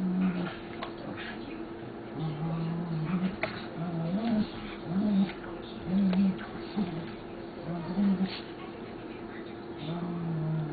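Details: Two dogs, Duffy and Kelsey, fighting indoors: low, steady growling in short bouts of about a second, repeating through the clip, with scuffling and clattering thuds between the growls.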